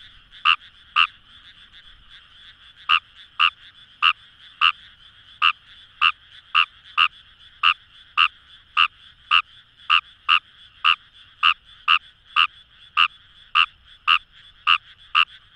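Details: Rice-paddy chorus of Fejervarya kawamurai, Kamo River, Itoshima, Fukuoka Prefecture: after a brief opening pair and pause, crisp croaks repeat roughly twice per second over a dense humming frog chorus.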